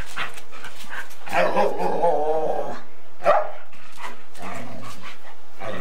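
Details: Bitey-face play between a Golden Retriever and a Samoyed, captured on 8mm tape: a long, grumbling harmonic growl is followed by a sharp vocal burst and then lower rumbling noises, with constant tape hiss.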